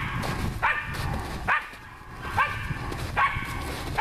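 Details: Nora, a hunting dog working on wild boar, gives four sharp, harmonic barks spaced a little under a second apart, over a steady low rumbling background.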